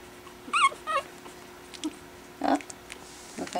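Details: Four 4-week-old Pekingese puppies playing with a toy after dinner indoors; two short, high squealing yips with bright overtones open the scene, followed by a muffled lower squeak and a person talking nearby.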